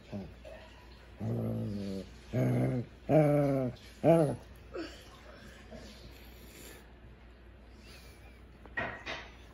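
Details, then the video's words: Pet Shih Tzu indoors, growling as if talking to his owner: a run of four short, low, grumbling vocal bursts close together, then quieter room noise and a brief soft sound near the end. "shih tzu talking"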